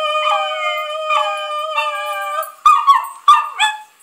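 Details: Puppies react to singing with drawn-out, wavering howls for about two and a half seconds over a steady sustained tone. A few sharp, higher yips and whimpers follow.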